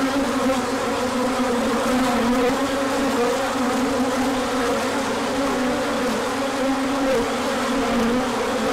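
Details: A continuous low hum from many bees milling about the hive during a large orientation flight on a sunny day following cooler weather, with individual buzzes swelling and sliding in pitch over the steady drone.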